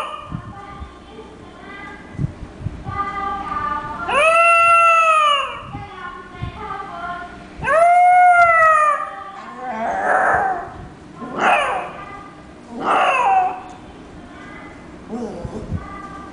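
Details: Pet West Highland White Terrier named Teddy howling: two long arched whining howls near four and eight seconds, followed by shorter broken yelping cries, with a person's quiet voice in the gaps.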